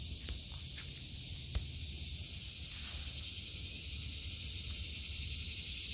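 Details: Cicadas in an August 2023 vegetable garden: a steady, hissing high-pitched drone runs unbroken throughout, with a low rumble beneath and a brief click near the middle.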